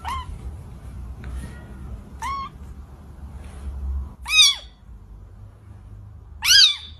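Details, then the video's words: Cat giving a series of short meows, the last two louder and more drawn out with a rising-falling contour, against a soft low background of water noise. "the meow meow of cute and beautiful"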